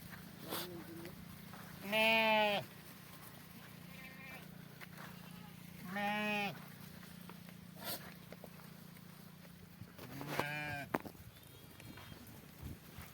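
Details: Sheep during milking gives three wavering, nasal bleats, each about half a second long and spaced roughly four seconds apart, over a steady low hum with faint background noise.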